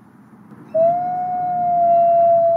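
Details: Zephyr, a captive-born gray wolf at a wolf conservation centre in South Salem, New York, gives a long, steady howl that starts abruptly and holds nearly level, rising slightly; his howl sets off about 50 wolves.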